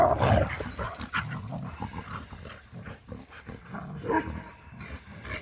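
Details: Playful tussle among three pups after three days of rain; a loud snarling growl opens, then softer rapid grumbles and scuffles, and a second sharp growl near the end, with a faint steady high hum.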